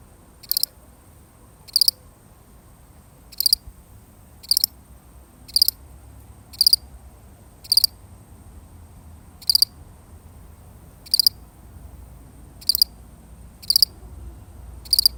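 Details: A single solitary cricket chirps steadily, high trilled bursts of three or four rapid pulses repeating roughly once every second to second and a half, against a quiet, faintly humming background.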